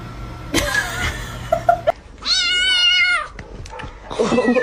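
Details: Kitten meowing: one drawn-out, wavering, harmonic-rich meow lasting about a second mid-recording, with a person talking before and after and some rustling and thumps.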